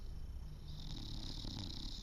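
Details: An English Bulldog snores while awake, one eye open and tongue out. Low, rough rumbling pulses run steadily through the short stretch, with a faint hiss above.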